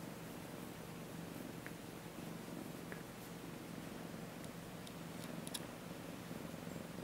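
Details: A female Siamese cat (Felis catus) purrs while getting tummy rubs: a steady low rumbling vibration with soft faint clicks above it.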